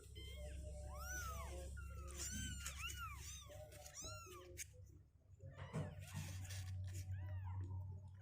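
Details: Indoor kittens about two weeks old, legs growing stronger, refusing to sit in a box; thin arched mewing calls over a loud low hum and handling noise.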